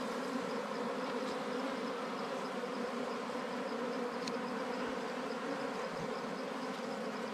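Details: Steady droning hum of many wild bees around their comb while honey hunters work, even and unbroken throughout, with a faint high ticking in the background.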